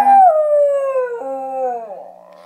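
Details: Year-old male Schnauzer singing along indoors, one drawn-out tonal howl that slides gradually downward, breaks and resumes lower, then trails off wavering.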